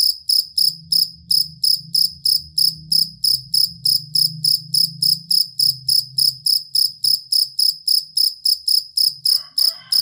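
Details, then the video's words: Cricket song used to train contest songbirds, its sound steady and long: rapid high ringing chirps repeating regularly, over a faint low hum, with a short faint mid-pitched sound near the end. "Suara Jangkrik Master Burung Sangat Ampuh dan Pengusir Tikus"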